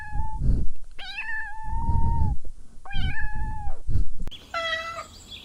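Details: Kittens chasing butterflies outdoors on grass; long, steady mews drawn out over a second, repeated three times amid loud low rumbling handling noise, ending with a higher meow.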